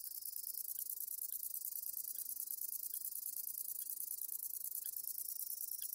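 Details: Conocephalus fuscus singing a very high, continuous buzzing trill, steady and unbroken, with faint soft clicks repeating roughly every half second underneath and no other clear sounds.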